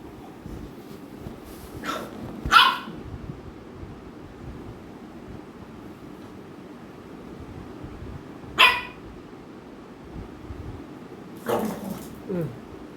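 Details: American Bully dogs Ami and Mikku at home, Ami pestering Mikku; three sharp, harsh barks spaced several seconds apart, the first two close in time, over a steady low background hum.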